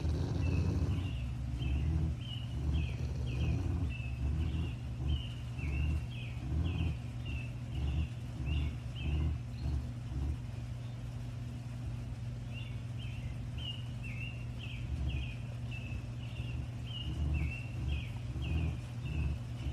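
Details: A Rottweiler's pulsing low growl during a standoff over a bone, coming in short rhythmic throbs rather than one long rumble, with bursts of repeated high chirps at the start and the end.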